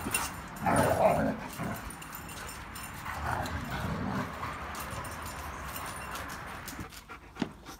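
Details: German Shepherd growling at a large Pitbull, its best friend, during a tug of war over a toy it is jealous of sharing; two rough, noisy growling bursts about three seconds apart, with a quieter stretch between.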